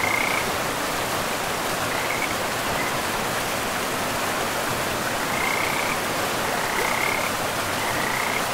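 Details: Along a river deep in a pristine forest, frogs give separate brief trilled croaks, a few seconds apart, each standing out over the continuous hiss of flowing water.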